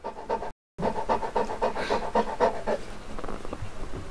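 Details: Uno, a Saint Bernard turning one year old at his first birthday, pants rapidly, about four breaths a second in rhythmic bursts that fade after nearly three seconds, with a steady low background hum.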